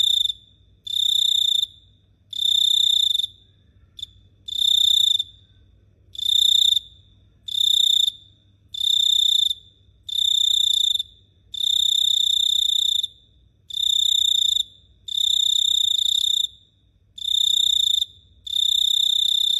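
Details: At night in Phteah Prey a cricket keeps up a high ringing trill broken into many bursts of roughly one second, repeated with brief gaps, nothing else audible.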